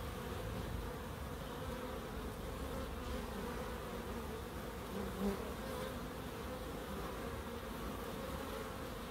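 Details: Bees in a small wildlife garden in Crookes, a steady low hum with bands near the wingbeat pitch, holding constant for nine seconds with a brief louder swell midway.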